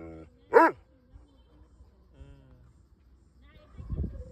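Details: Great Dane. One sharp, booming bark from a Great Dane stands out, short and forceful with a rough edge. Soft human voices murmur before and after, and a low rustle closes the recording.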